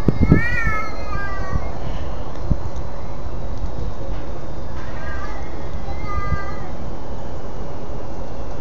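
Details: House cat calling before it attacks another cat: two brief, slightly descending whining yowls several seconds apart over a steady background hiss, with a person speaking beforehand.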